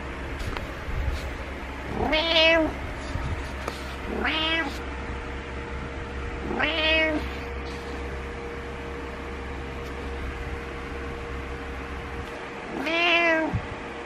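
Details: A domestic cat called Butters, wanting its owner awake, calls four times with slightly whiny, arching meows, three close together and a last one after a long pause, over a low hum.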